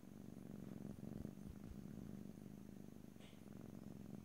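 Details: A house cat's purr recorded in stereo: a dense, low buzzing rumble pulsing without pause, plus a few soft taps and a small high rustle after three seconds.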